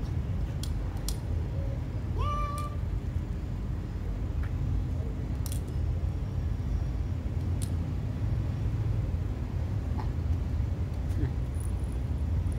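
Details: A kitten gives one short, rising then level meow with clear harmonics about two seconds in, set against a constant low rumble of passing vehicles and a few sharp clicks.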